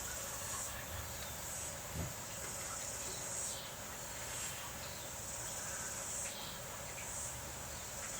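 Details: Cicadas calling during rain: a steady high-pitched buzz that swells and fades every second or so, over a constant hiss of rainfall.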